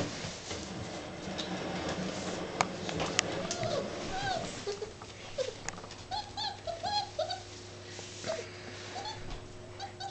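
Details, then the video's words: Seven-week-old Labrador Retriever puppy at play indoors: a run of short, squeaky, arched yips and whimpers, several in quick succession around the middle, over rustling, knocks and faint voices in a small room. "Labrador-Retriever Welpe in Action 7 wochen alt"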